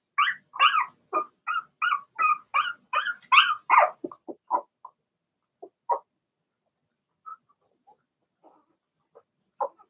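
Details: Six Blenheim Cavalier King Charles Spaniel puppies, two girls and four boys, in a puppy pen at home: a run of high, rapid barks about every third of a second for four seconds, then sparser softer yelps.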